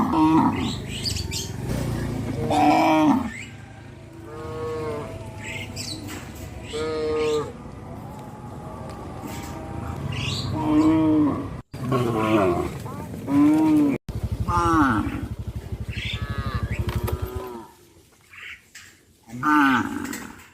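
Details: A herd of cows walking to graze in a settlement, giving repeated drawn-out harmonic moos, each about a second long, some rising then falling, spaced irregularly, with brief high chirps and faint background rustle between calls.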